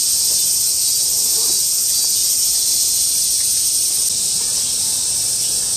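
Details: Cicadas chorusing together in August 2008, a continuous shrill high buzz with a subtle rapid pulsing, accompanied by a few faint lower chirps in the background.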